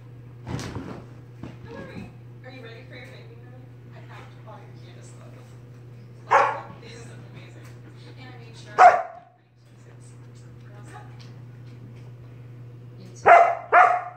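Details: Sorbetto, a pet dog, harassing his big sister Biscotti by barking in her face during lazy indoor play; three sharp, separate barks spaced several seconds apart over a steady low hum, with a woman speaking softly in between.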